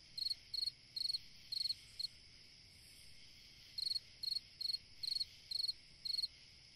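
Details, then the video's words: Summer-night cricket song meant for rest and relaxation: bright trilled chirps repeated roughly every half second, a run of five, a pause of nearly two seconds, then seven more, over continuous high buzzing. "Chant d'un grillon dans une nuit d'été / Singing a cricket in a summer night"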